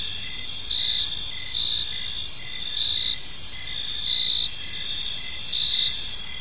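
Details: Crickets chirping on an evening in a peaceful park: steady high-pitched trilling bands layered with pulsed chirps repeating about every second, several insects overlapping in a continuous chorus with no other clear sounds.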